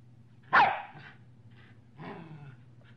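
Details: Medium-sized dog giving a deep, assertive bark: one loud sharp bark followed by a softer gruff bark and low growling noise, over a faint steady hum.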